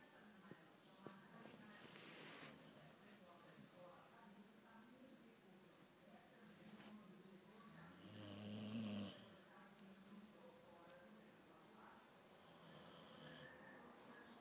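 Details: Theo, an albino Boxer, snoring indoors: low, rough breathing rumbles in slow cycles, one louder snorting snore near the ninth second, with faint background voices and a thin steady high tone throughout.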